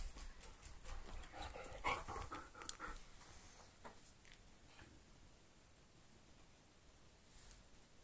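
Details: Australian Cattle Dog playing ball, breathing in quick, rough panting bursts for about three seconds, then fading to softer, slower breaths with occasional light noises.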